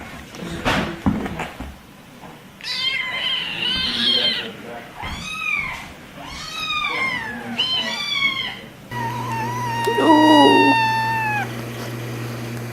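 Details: Domestic cat giving a run of short, arching meows in quick succession, then one longer steady meow over a low electrical hum, with a person's voice briefly in the background.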